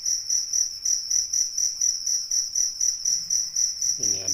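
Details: Cricket, a paddy-field type and a fighting cricket, giving a continuous high-pitched pulsed trill of about four beats per second, joined at the end by a short burst of a man's voice.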